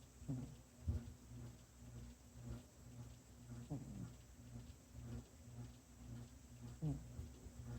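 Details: Sleeping kitty snoring softly, short low rasping breaths recurring about every three seconds, three in all, faint against a constant electrical hum in a quiet room.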